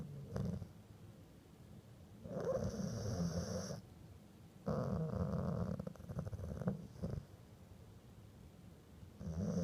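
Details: Dog asleep after grumbling itself to sleep, every breath a snort or grumble; low rough snoring breaths in bursts of one to two seconds separated by quieter gaps, recorded indoors.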